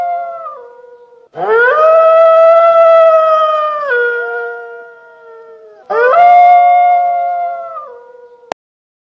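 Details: Gray wolf (Canis lupus), howl.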